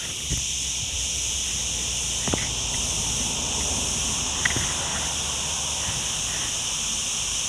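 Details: Continuous shrill cricket chorus beside a forest road at Ghafsai, Ourtzagh, Taounate province, a constant ringing drone that never pauses, broken only by a few soft footsteps and rustles.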